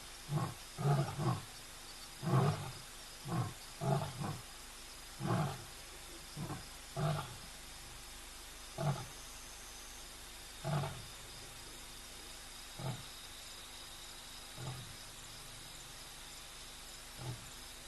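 A lion roars in a run of deep, throaty grunts that start close together and slowly spread apart.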